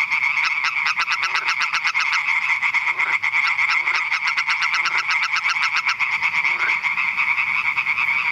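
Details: Hyla arborea, the European tree frog, at Eichkopf, Hesse, Germany: rapid harsh croaks pulsing in quick series over a steady chorus hum, with short lower grunting notes breaking in roughly every second.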